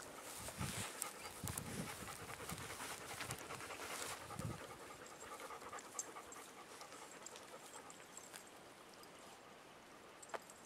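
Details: A black and tan puppy available for adoption panting in quick breathy bursts early on, then fading into soft hissing background noise with faint clicks.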